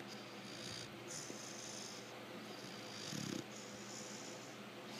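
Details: Quiet, steady snoring from Lecka, a female American Bulldog aged five months, asleep; low raspy breathing continues evenly, and a brief stronger snort comes near the end.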